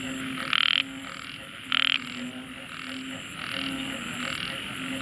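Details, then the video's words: A tiny frog gives loud, harsh, buzzy calls in short bursts over a steady background hum. "tiny frog makes deafening sound"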